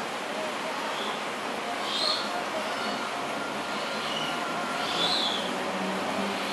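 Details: A baby Asian small-clawed otter at an aquarium gives thin, high squeaky chirps every few seconds while searching for its mother, over a steady hiss of background noise.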